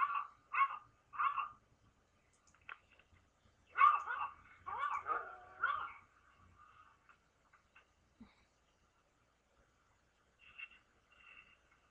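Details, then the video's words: Pet dog responding to barking dogs, webcam recording from 24 December 2011: three quick barks, then a louder cluster of overlapping barks, followed by quiet and a few faint distant barks near the end. "My dog reaction to barking dogs!"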